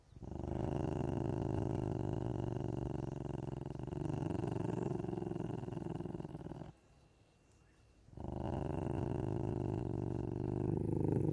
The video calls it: The sound of a Ocelot